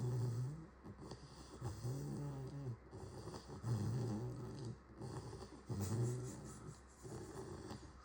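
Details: Snoring puppy after its shower: deep, rasping snores on each breath, roughly every two seconds, some with a soft nasal whistle, over steady indoor hiss.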